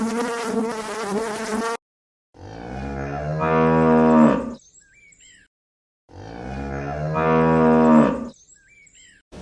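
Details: Domestic cow mooing: two long, low, drawn-out moos of about two seconds each, separated by a short silence, with a buzzing, insect-like drone just before and faint high chirps after each call.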